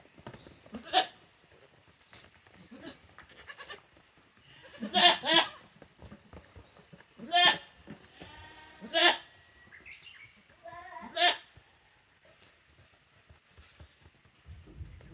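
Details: Tokara goat kids, a female and a brother-sister pair, on a handmade goat farm in Japan on 2 May 2024; short harmonic bleats come in bursts around five, seven, nine and eleven seconds, with quieter rustling between.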